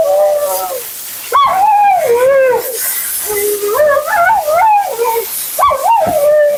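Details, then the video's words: Mila, a talkative female Siberian Husky, vocalizes during her second-ever grooming bath. Her wavering, yodel-like moans rise and fall in pitch with bends and swoops, coming in long connected phrases separated by short pauses, with a faint background hiss. "Talking Husky"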